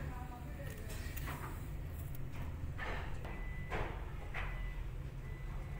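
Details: Angry kitten hiding behind a cat gives several short breathy hisses, the loudest near the middle, over a steady low rumble and faint voices.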